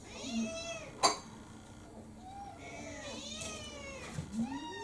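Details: An orange tabby mixed-breed cat named Kurumi, roughly four years old, begs insistently for her evening meal at home: several clear, arching meows in under five seconds, broken by a sharp clack.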